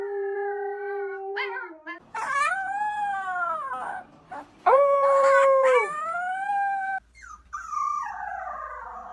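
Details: Dog making strange noises: long, wavering, harmonic howls that slide up and down, broken by short yelps and gaps, with a brief scratchy rustle near the end.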